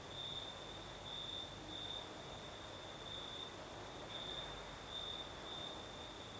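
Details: Crickets singing at night in the south of Crimea, with a night breeze: a high, steady chirping trill broken into pulsed bursts about a second apart, over a constant hiss of higher insects and soft breezy noise.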